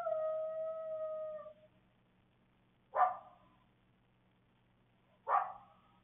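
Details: A coyote (Canis latrans), recorded by a security camera in the evening in Waukesha County, Wisconsin, gives a steady, wavering howl, then two sharp, hoarse barks a couple of seconds apart.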